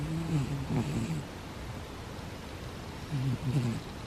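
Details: Sleeping cat snoring softly; low rumbling breaths in short bursts at the start and again near the end, with a quiet steady background hiss.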